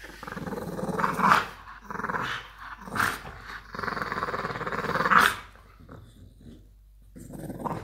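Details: French Bulldog named Muffin play-fighting with a boy almost three years old: rough, throaty growls in long rasping bursts with brief pauses, a few sharper snarling peaks, and faint human voices in the background.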